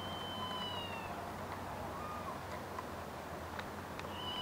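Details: Red squirrel calling with a meow-like cry, recorded on 26 August 2023: thin, high, drawn-out mewing whistles, one long slightly falling note at the start and another at the end, quiet over a steady low hum.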